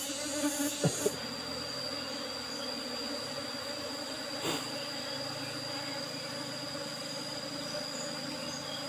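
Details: Apis cerana bees humming as honey is taken from their old box hive with an asbestos cover; a constant low drone, a few knocks at the start, and a high insect hiss.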